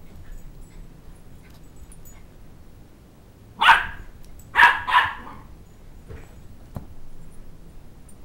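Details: Shetland Sheepdog puppy, two months old, indoors chasing a toddler who took his stuffed toy dog head: three short, bright yappy barks, one alone, then a quick pair a second later, followed by a faint click and room hush.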